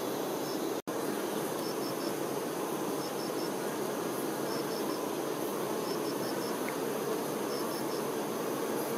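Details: Honey bee workers tending the queen give a steady massed buzzing hum, briefly cut off for an instant near the start. Faint high chirps in groups of two or three recur throughout.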